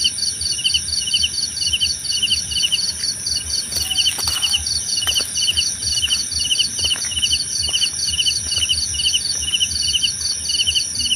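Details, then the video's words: Several crickets chirping in rapid pulsed bursts at two high pitches, steady throughout, with a few sharp clicks near the middle and a constant high hiss. "Suara Jangkrik Membahana!"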